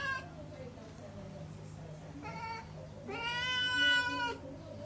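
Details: A house cat wants a spider and calls twice. The first is a short, weaker meow. The second is a longer, louder, wavering meow that holds its pitch before dropping. Quiet voices and a low hum sit in the background.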